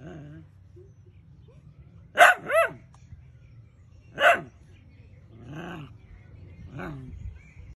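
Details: Pet Dachshund barking indoors: a quick pair of sharp, loud barks, another single bark two seconds later, then two softer, lower woofs spaced about a second apart over a faint steady hum.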